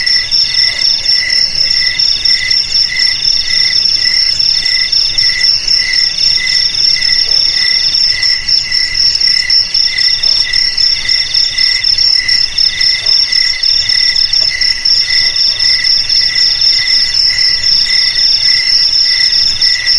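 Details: A dense cricket chorus gives rapid, regular high trilled pulses, several callers overlapping in bright layered bands. The chorus keeps up without pause for twenty seconds over a quiet background.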